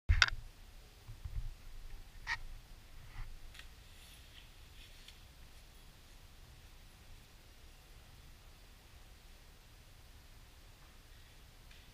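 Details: Quiet indoor room with a few scattered clicks and taps early on, then faint hiss, and no animal calls.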